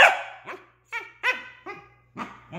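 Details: Corgi, a male dog indoors, begging to play, wanting a toy thrown: a run of six sharp, short barks roughly every half second, each with bright harmonics and a falling tail, a soft hum underneath.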